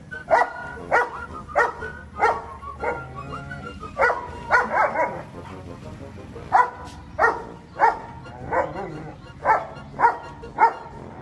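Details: German Shepherd Dog, eleven months old, meeting a horse for the first time: a run of short, sharp barks repeated roughly every half second to second, with music playing throughout the background.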